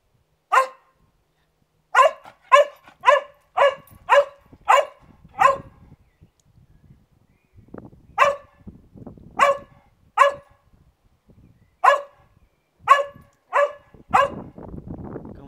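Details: George, a pet Cocker Spaniel filmed on a Canon 600d with a 50mm lens, gives about fifteen sharp, clipped barks in irregular bursts, several quick runs separated by short pauses, in an otherwise quiet room.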